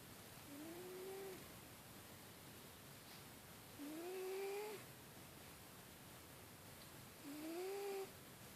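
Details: A sleeping cat snores with soft, whistled, rising tones, one on each breath about every three and a half seconds, each lasting about a second, in a quiet indoor room.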